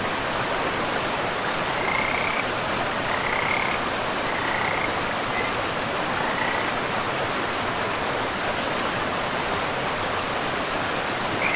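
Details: Frogs by a river in a pristine forest, giving short, high trilled croaks in scattered bursts every second or two over a steady rushing of flowing water.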